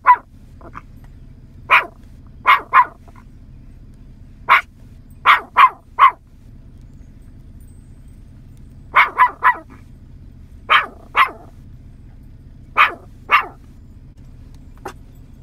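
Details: A 9-month-old Yorkshire Terrier gives shrill, clipped barks in bursts of two or three, separated by pauses of a few seconds, calling in cows scattered in a field, over a faint steady hum.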